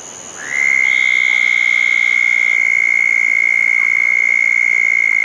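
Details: After a thunderstorm on June 10, 2014, a southern toad at a small backyard habitat pond starts a shrill, sustained trill half a second in and keeps it going without a break, over a quiet night chorus.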